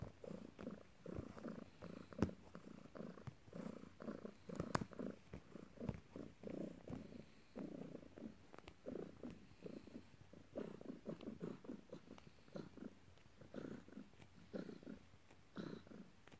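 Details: Cat named Morning kneading its owner after work, purring steadily; a continuous low rumbling purr pulses in a regular rhythm throughout, with faint occasional clicks.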